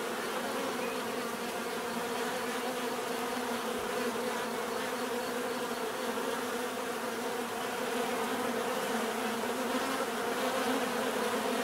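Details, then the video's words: Bees hum in a thick, sustained buzz of several blended tones, the drone slowly wavering but never stopping across the whole recording. "bees therapy relaxing natural buzzing sound"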